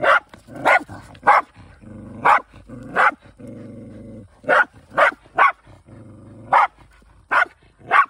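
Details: Hunting Shiba Inu from a countryside home with several dogs: loud, irregular barks separated by long, steady, low-pitched whines that hum under the gaps.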